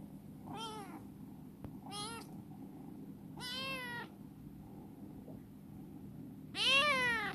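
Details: Four meows from Chibikuro, a once-suspicious rescued stray female black cat grown sweet and playful in a warehouse: three medium arched calls in the first four seconds, then a louder, longer, harsher meow near the end.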